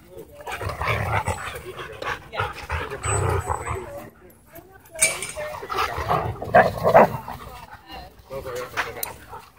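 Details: Two Siberian Huskies play-fighting intensely at a dog park: rough, throaty growls and snarling bursts come in quick irregular runs, with short pauses between scuffles and people talking nearby.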